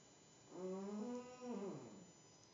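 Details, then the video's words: A sleeping house cat lies on a table indoors and gives one long, droning, tonal snore of about a second and a half. The snore dips briefly midway, then tails off downward into a quiet room. "My naughty kitty (who should not be on the table) snoring."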